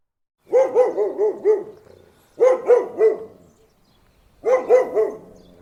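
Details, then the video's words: Dog barking in three bouts, each a rapid volley of four or five deep, rhythmic woofs, separated by roughly two-second pauses. "Dog Barking/ Whining/ Crying Sound Effects"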